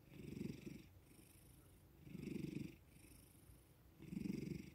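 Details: Domestic male cat purring while being petted and given attention after waking; three even, low throbbing purr bursts in a steady breathing rhythm, each followed by a soft hissy inhale, quiet room.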